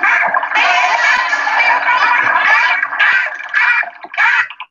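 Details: Free-ranging Atlantic spotted dolphins give burst pulses, dense buzzy packets of rapid clicks in broad harsh bursts, used in courtship, discipline, fighting and aggression, possibly with a tactile effect.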